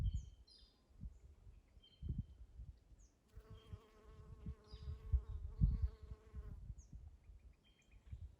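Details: Honey bee buzzing in spring among Eastern Redbuds: a steady droning hum with layered overtones holds for about three seconds mid-clip, while light high bird chirps and low rumbling wind noise continue around it.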